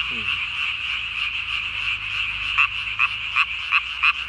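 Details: Night-time call of a Japanese tree frog, recorded 3 May 2020, the chin vocal sac swelled to body size; a buzzy pulsed chorus with sharper clicks near the end, roughly three a second.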